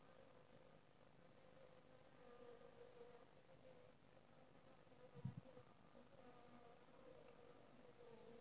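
A soft, steady drone of honey bees humming in flight, with one brief thump midway.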